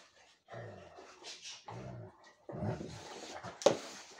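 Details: Rhodesian Ridgebacks playing a lazy game together; low, rumbling growls and grumbles come in three or four uneven bursts, ending with a sharp, brief snap or clack.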